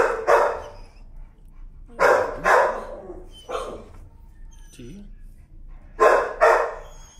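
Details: A timid, leash-shy dog protests leash pressure with loud, harsh screaming yelps in paired bursts, at about two, three and six seconds, separated by short whimpers; a man speaks softly nearby.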